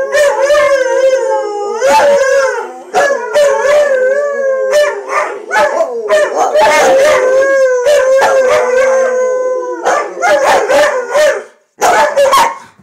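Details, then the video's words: Chorus of three dogs led by a retired racing greyhound roo-ing: long, wavering, mid-pitched howls, held and gently bending, broken by repeated sharp yips, fading out near the end. "Finds His Roo"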